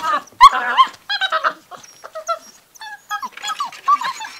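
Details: Six-week-old Gordon Setter puppies playing indoors in a living room give a busy mix of short high whines, yips and squeals, overlapping and irregular, with a loud yelp near the start.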